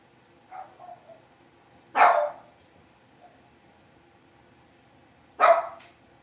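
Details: Blenheim Cavalier King Charles Spaniel puppies, a litter of five born at New Year, newly moved into a big pen: soft high yips early on, then two sharp, loud barks about three seconds apart in a quiet room.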